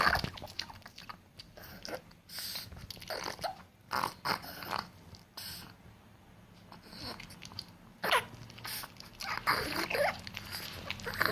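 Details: A Chihuahua eating: irregular bursts of crisp crunching and chewing clicks, often a second or so apart, with short quiet pauses between mouthfuls and faint background room noise.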